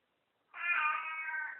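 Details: Pet cat's greeting after waking up: one drawn-out, level harmonic meow of about a second, in a quiet room.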